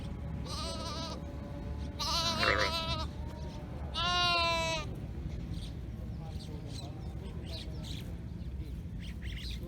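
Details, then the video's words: Lamb calling its mother sheep: three wavering bleats with rich harmonics, at about half a second, two seconds and four seconds, the last loudest and quavering, over steady low rumbling background noise. "Lamb Calling Mother Sheep"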